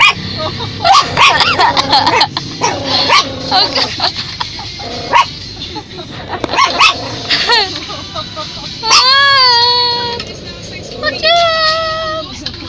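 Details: Dog barking at people: quick, high yapping barks crowd the first half, then long drawn-out yelping whines with falling pitch, mixed with human voices throughout.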